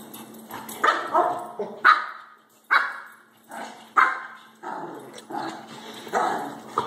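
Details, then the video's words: Two pet dogs, Baxter the shih-tzu and Harley the Labrador, fighting over the same toy late at night. Short sharp barks and yips burst out roughly every second, bright and mid-pitched, mixed with scuffling between calls. "Baxter(shih-tzu) and Harley (lab) fight over toy"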